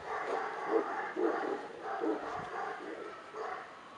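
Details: Male Tibetan Mastiff puppy giving short, harmonic barks or yips in an irregular series, about two per second, with slight background hiss.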